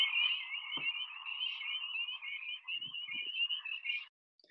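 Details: A dense chorus of calling male spring peepers, tiny thumb-sized frogs out early in the season, in a field at about 6 p.m.: many high, shrill peeps overlapping into a continuous, shimmering, almost bird-like trill, with a few faint low thumps.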